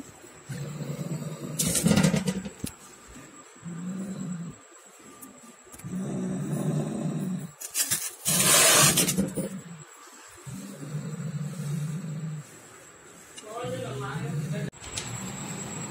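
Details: Angry domestic cat growling while fighting a rat it hunted, low rumbling growl bouts of one to two seconds repeating through the scene, broken by loud noisy bursts, with a man speaking Hindi and urging it on.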